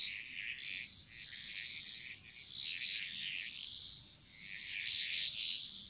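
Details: Chorus of frogs echoing through a jungle in Bali, quick stuttering croak bursts building in waves roughly every two seconds, with a faint steady high ringing behind.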